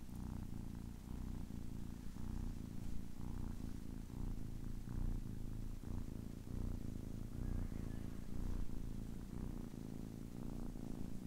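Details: Ten-week-old kitten purring softly, a low continuous rumble with gentle rhythmic in-and-out pulses and no other sounds.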